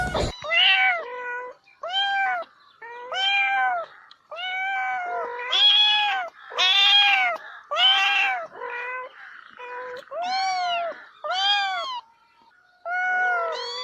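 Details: Meows meant to draw a cat closer: a long series of short, tonal arched mews, roughly one a second, some doubled with a lower tail, in a quiet setting.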